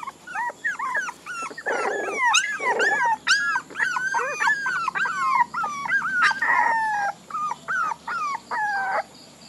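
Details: Several puppies whimper and yelp in overlapping, wavering high cries that rise and fall, with short breaks between bursts and a few brief clicks behind them.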